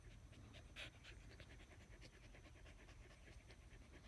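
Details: Australian Shepherds lying in the shade of a willow tree, breathing in fast, even panting strokes several times a second, with a low steady hum underneath.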